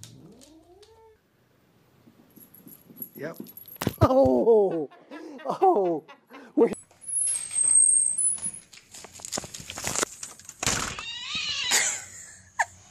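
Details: A pet cat calls in a quick series of short, bending meows with rich overtones, then loud bangs, rustling and a few high squeaks, with human voices faintly audible.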